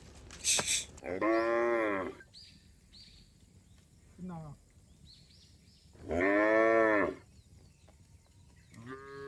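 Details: Roaming cattle on a road: a sharp click, then a long arched moo, a short lower grunt, another full moo near six seconds and the start of a third, with faint bird chirps in the pauses.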